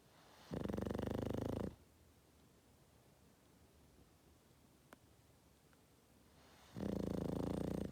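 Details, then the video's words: Boston Terrier snoring while sleeping: two harsh, rattling snores of about a second each, six seconds apart, with a small click in the quiet gap. "Cute Boston Terrier Snoring (dog snoring)"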